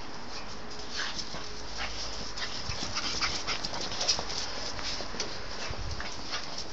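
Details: A pet pug in a burst of wild, frantic play, giving rapid, irregular breathy huffs at about three or four per second over steady background noise.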